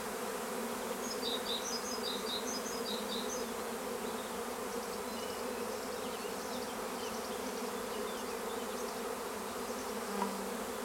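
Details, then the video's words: Steady, dense drone of a honeybee swarm at Longué-Jumelles, France, many bees humming together, with high twittering bird notes early on and a short click near the end. "Essaim d'abeilles"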